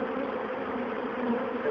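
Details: A dense, steady, loud hum from likely over 20,000 Western honeybees with a low drone and faint overtones, as the colony streams into an old bird box that is being moved to a Langstroth hive.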